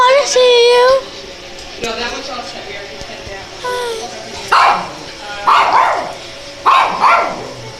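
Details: Cute dogs barking among several dogs: a thin whining yelp at first, then three sharp bursts of barking spaced about a second apart, with people chatting throughout.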